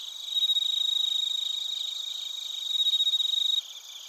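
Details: Bell crickets and other crickets in Narita, Chiba, Japan, recorded via TASCAM Portacapture X8; a close, loud ringing trill pulses rapidly and evenly for over three seconds, then stops abruptly, leaving softer background chirping.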